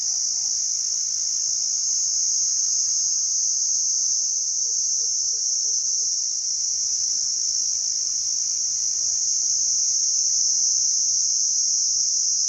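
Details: ['A cricket chirps by rubbing its wings, giving a constant, high, ringing trill that never pauses. A few faint, quick low notes surface near the middle beneath the shrill tone.']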